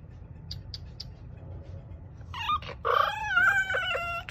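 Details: A Miniature Bull Terrier in Oregon talks back in wavering, moaning whines while trying to get out to reach its owner.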